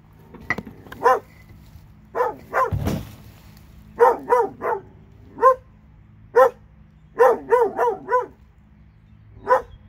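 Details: Two dogs in Alabama barking in irregular bursts, short harmonic barks, some in quick pairs and triples, with one loud broadband thump near the third second and a low steady hum beneath.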